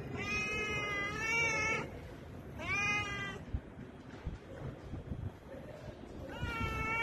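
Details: Domestic cat being stroked, giving three drawn-out, clear meows, the first long and wavering, the second shorter and bending downward, the last rising at the end, with soft rustling between calls.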